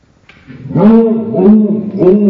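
A Basset-Beagle's barks slowed to half speed become deep, drawn-out, moaning tones.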